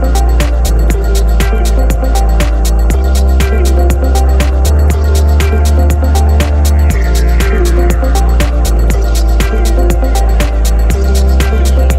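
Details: Loud electronic music with a pounding bass beat and rapid percussive hits fills the whole stretch, with no animal voice.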